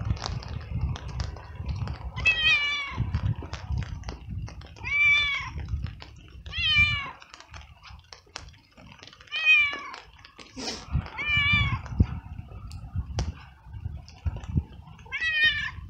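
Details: Abandoned street cat, frightened and soaked, trails someone through the rain meowing loudly from hunger; about six long, wavering, downward-bending meows spaced a couple of seconds apart over steady rain patter and low background rumble.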